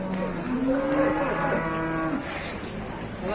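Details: Cattle at a livestock market in Indonesia, early morning, during a fight; drawn-out low moo with a rising harmonic band in the first two seconds, amid crowd noise and background chatter.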